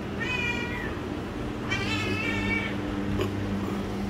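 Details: Pet cat indoors giving two clear meows, a short one then a longer drawn-out wavering one, over a steady low electrical hum with a brief click near the end.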